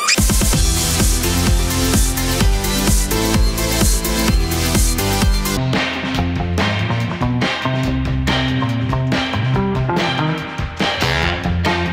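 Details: Loud electronic dance music with a driving beat fills the whole stretch.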